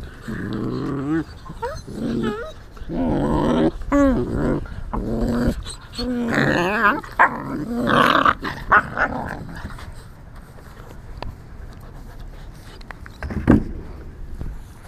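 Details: Teething American Tundra Shepherd puppies, three black and tan, nine and a half weeks old, indoors: rapid, overlapping growls and high squealing yips and whines during the first nine seconds, then quieter rustling with a single sharp yelp near the end.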